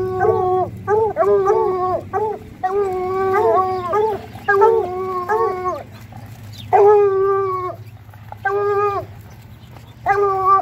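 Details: A pack of Bluetick Coonhounds howls its way along a town walk, stacked harmonic bays and quick yelps coming in irregular bursts, several long howls near the end, with a constant low hum beneath.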